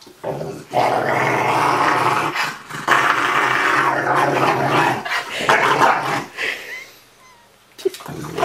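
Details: Cuddled Rottweiler Ariel talks back with long throaty grumbles and moans, several sustained phrases broken by brief pauses and fading toward the end, while a person speaks softly in Norwegian close by.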